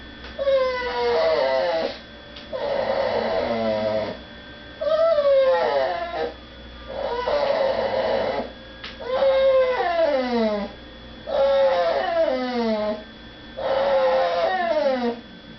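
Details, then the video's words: Female house dog crying while people eat in another room and she is not allowed to beg at the table; short whines that drop sharply in pitch, repeated about every two seconds, with breathy noisy sounds between them. "My dog makes funny noises."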